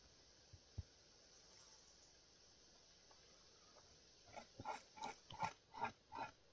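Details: A Eurasian beaver in Puszcza Piska forest, Poland, gives a quick run of nasal, grunting calls that grow louder, about two or three per second.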